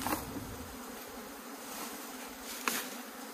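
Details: Honey bees kept in a log hive in Puning, Guangdong, China, buzz as the overgrown, grass-filled hive is opened and the honeycomb breaks apart. A steady low hum runs throughout with handling knocks and a sharp click near the end.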